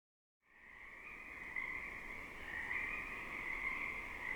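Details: A dense, active chorus of Pacific chorus frogs in a temperate rainforest wetland, many overlapping high, rapid creaky calls near and distant, merging into a steady ringing wall of sound.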